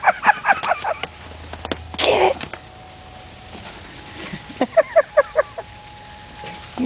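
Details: Yorkshire Terrier puppy named Aggie playing outdoors in the snow, giving short high yips in quick bursts, a cluster at the start and another run of five near the end, amid a person's excited urging and laughter.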